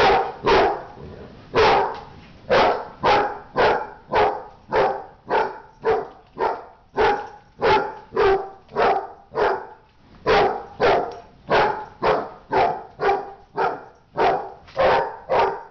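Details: Dog in a fight barking rapidly and almost without pause, close to thirty sharp harsh barks in quick succession, a short break near the tenth second, then the volley resumes.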